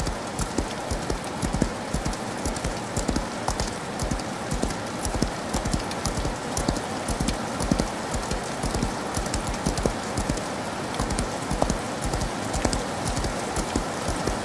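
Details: Galloping horse heard through rain, its hooves striking in quick, uneven clusters of dull knocks over a steady wash of falling rain.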